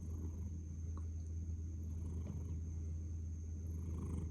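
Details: Domestic cat purring while sleeping with its face buried down; a steady, deep, continuous rumbling purr without a break, with a faint constant high whine in the background.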